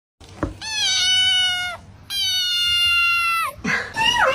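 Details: Domestic cat, described as not happy, giving two long drawn-out meows of steady pitch with rich harmonics, each lasting over a second, followed by a short higher wavering cry and a quiet human voice in a small room.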